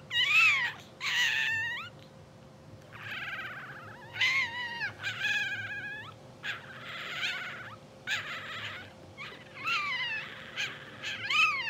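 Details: Sleeping English Bulldog pups only two hours old, blue sable litter, fill the air with overlapping high squeals and mewing whines, wavering in pitch, nearly continuous with brief pauses, against a low steady hum.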